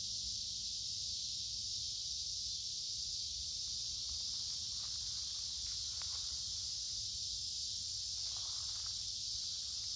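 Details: A dense chorus of cicadas sings in summer woods along a creek on a warm, humid day. Their shrill, level hiss runs without a break, with light rustling and a few soft clicks midway.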